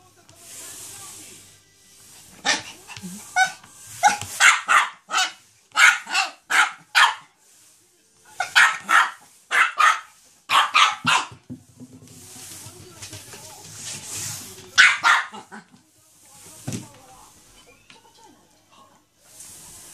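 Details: Chihuahua Choco, worked up by a Quickle Wiper floor wiper, barks in long runs of sharp, high yaps, a few seconds apart in bunches, with faint background music and voices.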